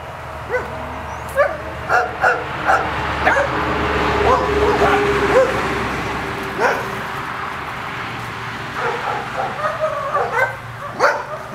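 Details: Seven-week-old Welsh Terrier puppies from a first litter, playing: a scatter of short high yips and little barks at irregular intervals, some whimpering squeals, with a low steady hum underneath.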